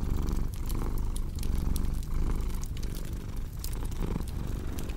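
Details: Domestic cat purring in a steady low rumble that swells and fades in breath cycles under the sharp snaps and pops of a crackling fireplace.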